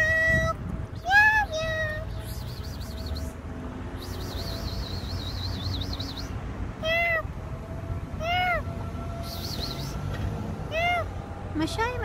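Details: Street cats filmed in January 2024; a series of short, arched, high meows, about seven spaced through the recording, with faint talking, steady background hum and occasional wavering tonal sounds.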